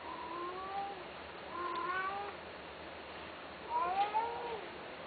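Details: Domestic cat offered for sale, giving three drawn-out harmonic meows about two seconds apart, each bending up and then sliding down. The last one is the loudest. A steady low hiss runs underneath.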